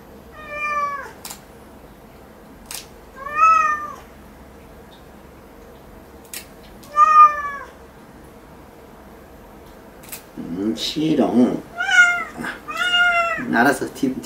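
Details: Cat named Sierra meowing repeatedly during indoor claw clipping, each meow a short bent note every few seconds, ending in a quicker run of complaining cries with a person's voice and faint clicks behind.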